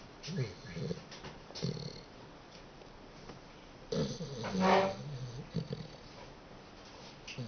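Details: Dachshund snoring indoors: low, rasping snores come in irregular bursts, a few short ones early, then a longer, louder drawn-out snore near the middle, with quiet breathing between.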